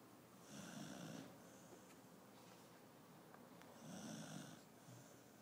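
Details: Koro, a pet dog napping indoors, snores in two slow, raspy breaths about three seconds apart, each a rough, hissing drone lasting under a second, with quiet room background between them.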